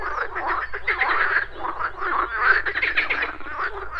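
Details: Frogs croaking at a pond in the morning, a dense overlapping chorus of rough, rattling croaks running without pause, with a steady low hum beneath.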